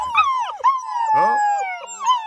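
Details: Several black German Shepherd puppies in a kennel, fed and content after supper, howl together in answer to their owner's whistling; overlapping wavering, sliding tones with one long steady note running beneath the chorus.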